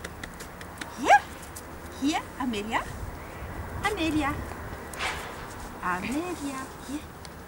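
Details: Amelia, a young female miniature wire-haired dachshund of 7 weeks, complains while meeting a lead for the first time. Scattered short whimpers bend up and down over several seconds, with possible low voices behind them.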